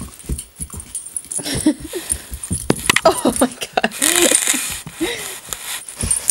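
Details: Curious female Doberman puppy, eager to play with a hairbrush yet afraid of its bristly texture, gives short arched whines that rise and fall, several in six seconds, between scratching and rustling noises.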